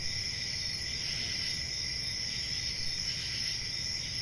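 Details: Summer night forest crickets trill without a break, a shrill layered drone with faint pulsing, set over a soft low background hum.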